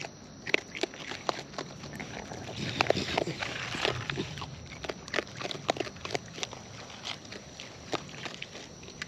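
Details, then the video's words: Raccoons in the wild feeding at close range, with dense, irregular crunching and lip-smacking bites that come in quick bursts against quiet natural surroundings. "Wild Raccoons & ASMR Chewing Sounds"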